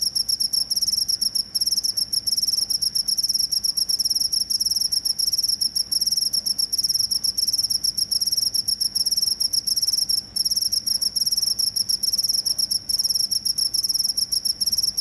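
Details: Steady shrill cricket trill running almost unbroken for fifteen seconds, with rapid high pulses and only a few tiny breaks. It is presented as a sound for repelling rats, with no other noises evident.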